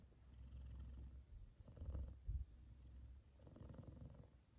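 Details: F2 Savannah cat, a male, purring loudly while cuddling with his brother lying on his head, both asleep; a deep, low rumbling purr in slow rhythmic swells, with a louder pulse near the middle.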